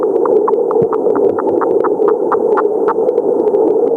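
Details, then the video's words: Rana sakuraii, the stream brown frog, calling steadily in Japan's Hokuriku region in 2022, without contact with other frogs. Short clicking pulses repeat about five times a second throughout, over a constant broad rushing noise. "ナガレタゴガエル Rana sakuraii の鳴き声（広告音？）"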